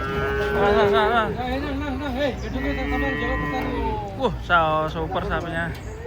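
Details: Huge cattle coming down off a truck during unloading. Drawn-out, wavering moos hold steady for several seconds, followed by a brief break and another rich, rising-falling bellow, with human voices and low machine noise underneath.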